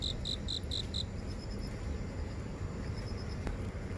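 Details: Grass insects in a house garden near an office in central Seoul, recorded on a phone while walking. Five short, high chirps about a quarter second apart open the recording, then fainter chirping continues over a steady low city rumble.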